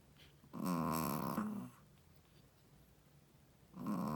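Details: First-time mother Shih Tzu sleeping and snoring: one long buzzy, vibrating snore of about a second, a quiet pause, then the start of another.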